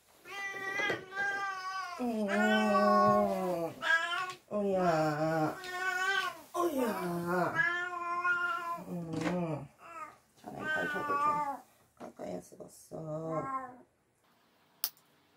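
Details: Domestic cat being bathed indoors, letting out a run of loud, drawn-out yowling meows, some lasting about two seconds. The cries come one after another with short breaks for roughly fourteen seconds, in a small room.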